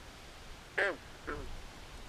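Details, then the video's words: Two short, rasping croaks from a frog at night in a swamp, the first loud and the second fainter, over a noisy low background. "Natural Ambient Sounds Of Frogs At Night"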